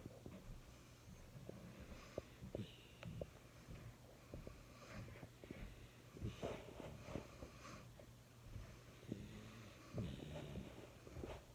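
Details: A sleeping jack russell–chihuahua mix dog snores softly, with irregular breathy snorts and wheezy rasps rising and fading over a low steady indoor hum.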